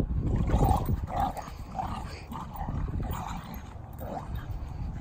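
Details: A Doberman and a Staffordshire Bull Terrier, both rescue dogs, at play in a home garden, giving a string of short, rough growl-barks about every half second over low scuffling and breathing noise.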